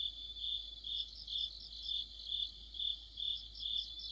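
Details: Crickets and other insects singing together in mid-autumn near a streetlamp, a high, steady chirping chorus pulsing roughly twice a second, with overlapping trills layered above it.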